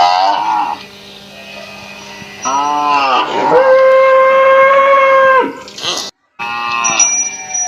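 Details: A village cow in Assam, India, with its calf taking milk. Short moos come first, then a long, steady, level moo of about two seconds, followed by further brief calls.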